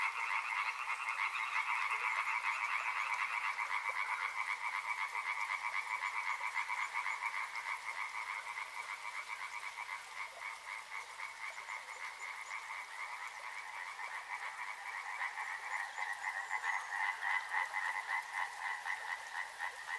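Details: Riverside frogs keep up a dense wall of rapid, rattling croaks in two layered pitches, easing slightly mid-way before building again with sharper pulses near the end.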